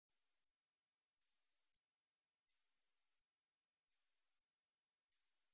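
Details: Song of the 우리여치 katydid from a 2020 National Institute of Biological Resources archive: four rasping, very high buzzes, each under a second, repeated at an even pace of nearly one per second against silence.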